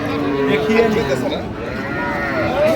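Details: Cattle at the Ambari haat market on 29 September 2025, where cows and calves are offered; a drawn-out, low harmonic moo carries through steady crowd chatter and nearby human voices.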